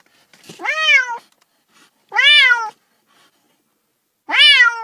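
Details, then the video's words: Domestic cat meowing: three drawn-out, arched meows with rich harmonics, each rising then falling, spaced by short silences in a quiet setting. "30 minutes of Cats' Meow"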